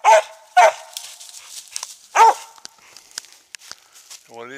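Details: Treeing Mountain View Cur, about three years old, barking at treed squirrels on a hunt in South Carolina; three sharp barks in the first few seconds, then quieter rustling and a man's voice at the end.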